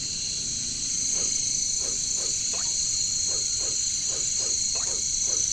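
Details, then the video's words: Jungle katydid chorus, the bush crickets known as caricangkas, forms an unbroken high shrill hum, while a regular series of about a dozen brief, falling, croaking pulses repeats roughly every half second beneath it. "relaxing jungle sound | bunyi caricangkas katydids bush crickets"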